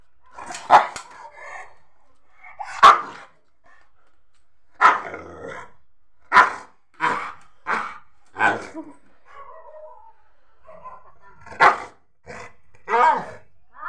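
A Rottweiler puppy gives short, sharp, mid-pitched barks in irregular bursts.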